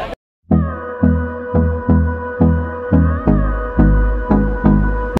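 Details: Electronic synthesizer music pulses in a steady beat, with a sustained droning chord over repeated low thumps and no animal call audible.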